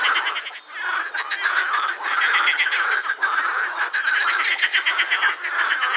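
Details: Edible frogs in full chorus at the Krebsenwasser, Wiener Prater in Vienna; overlapping fast rattling croaks with pulsed, quacking rhythm, dipping briefly early on, then dense and sustained.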